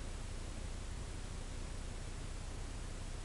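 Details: Steady broadband hiss and static with a low rumble, unchanging throughout and free of any animal voice.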